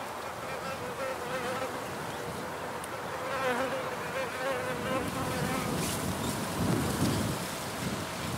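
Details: Wild bees in an outdoor field recording: a wavering, droning buzz that swells and fades as the insects move about, growing louder toward the end over a steady broadband outdoor hiss.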